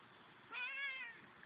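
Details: A domestic cat gives a single drawn-out meow lasting about half a second, harmonic and slightly falling at the end, with quiet room background and a person's voice around it.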